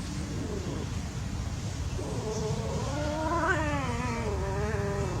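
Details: A playing cat gives one long wavering yowl that rises in pitch, peaks, then falls and fades over about three seconds against a constant low rumbling background.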